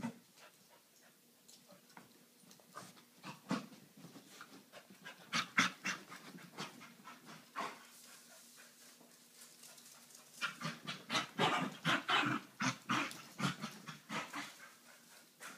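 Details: Excited Corgi after its owner comes home from work; rapid heavy panting and snuffling, bursts of quick breathy pants growing louder toward the end, with a faint whine.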